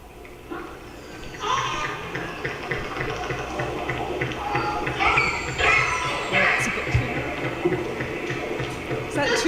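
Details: Killer whales of the I15 group on the BC coast call back and forth in sweeping, squealing pulsed calls over a hiss of underwater noise. Bursts of rapid echolocation clicking, used to detect prey, come between the calls.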